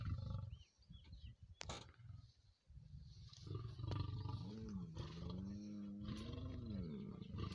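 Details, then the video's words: Lions in the wild during mating seclusion, a courting pair with the male aggressive toward rivals; deep low rumbling roar with a rising then falling moaning tone in the second half, preceded by low grunts and rustling. "Lions Mating"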